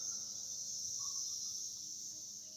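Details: A dense cicada chorus in 2021, with perhaps 50 to 100 cicadas flying around a small yard tree, makes a steady, high, shimmering hiss that never breaks.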